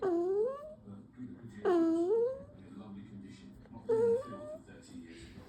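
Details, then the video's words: Poodle puppy making funny, cute noises: three clear, tonal whines, each starting with a dip and then rising into a longer drawn-out whimper, separated by short pauses, in a quiet indoor setting. "poodle puppy making funny noise from angry to cute"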